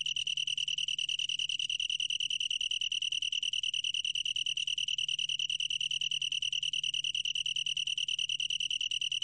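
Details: Continuous singing of a long-tailed tree cricket, recorded in 2020 by the National Institute of Biological Resources; a fast, evenly pulsed, bell-like trill sustained for the whole stretch over a faint low hum.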